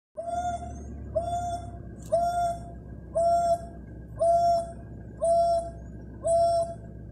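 An African wild dog gives clear, bell-like hoots about once a second to keep in touch with its pack.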